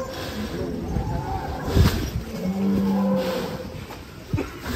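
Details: Rossi, a giant first-place champion cow ridden by a child, gives a low, steady moo of under a second, with people talking and handling noise around it.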